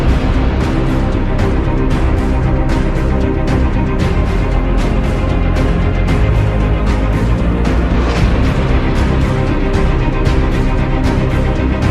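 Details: Loud, dense theme music with a heavy, driving beat plays throughout, and no animal voices.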